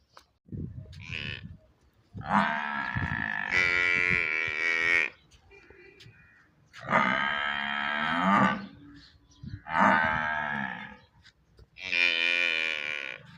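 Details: Water buffalo calf calling repeatedly: four long, loud, nasal bawls, each lasting one to three seconds, with rich harmonics and brief pauses between them, plus a few soft low thumps beforehand.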